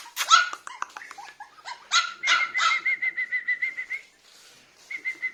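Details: Biewer Terrier puppy, a toy breed, giving rapid high-pitched yips and squeaky barks, ending in a run of short even whines repeated several times a second, with a pause before a last few cries.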